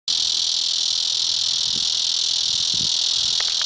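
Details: Bush cicada singing from a tomato plant in Hutchinson, Kansas, on September 20, 2008: an unbroken, high-pitched, hissing buzz that starts suddenly and holds steady at even loudness throughout, with a few faint low knocks underneath.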